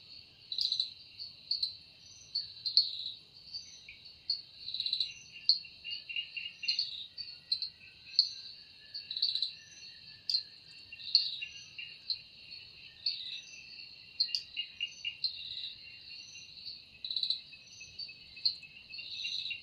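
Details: Cicada calling in a forest in the evening, its sound made with the wings: a steady high shrill buzz with bright pulsed bursts swelling every second or so, over a lower rapid ticking trill.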